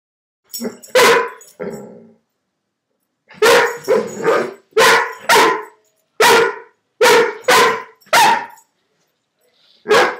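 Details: Dobermann barking while playing, chasing the little marble inside a hula hoop: loud, deep barks in quick bursts of two or three, a short pause after the first volley, about a dozen barks in all.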